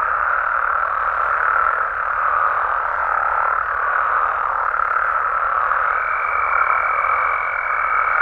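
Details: Night chorus of frogs and toads in a Mexican natural habitat: a continuous blend of many croaking calls at an even level, with a clear steady tone entering past the midpoint and holding to the close.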